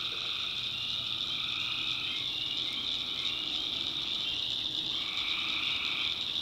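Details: Night chorus of tree frogs in the swamps of North Carolina's backwoods, a steady shrill wall of trilling that never pauses, overlaid by a softer, lower buzzing layer that drops away and returns near the end.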